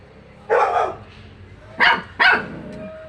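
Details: Dog barking: one broad bark, then two sharp barks close together about a second later, with quiet room noise between.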